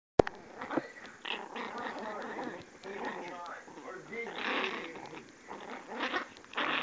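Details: A female puppy gives angry, high-pitched "demon" growls in short, rough bursts, with a person's voice mixed in.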